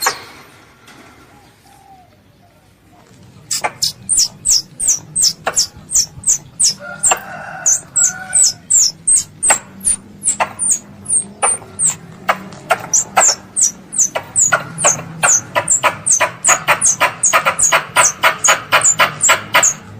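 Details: Squirrel, called a pest, crying for its mother, kept as a hunting lure: near silence for three seconds, then a fast, steady run of piercing high chirps sliding downward, growing denser and louder toward the end.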